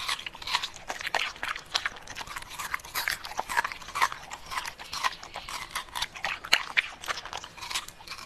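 A Pembroke Welsh Corgi chews noisily, with sharp crunches and wet clicks coming in quick, uneven bursts.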